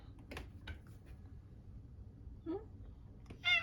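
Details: Maine Coon cat meowing affectionately to be shown outside, curious about the world beyond the window; a short falling cry and a louder harmonic meow near the end over quiet indoor room noise.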